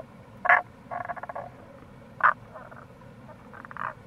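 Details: Tago's brown frog (Rana tagoi) calling in April near a gorge on the Kamo River, Itoshima, Fukuoka, Japan: short loud croaks alternating with softer rapid pulsed rattles, over steady low stream rush.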